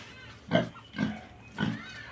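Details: Piglet, described as very naughty, at a farm where it made a great commotion on seeing the person filming; three short, harsh grunts spaced about half a second apart, with low, noisy energy and faint background hiss.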